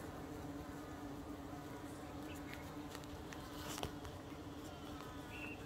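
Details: Yellow carpenter bee buzzing while feeding on eucalyptus flowers. A steady, low droning hum with a continuous tone runs throughout, and faint higher clicks and ticks are scattered through the middle.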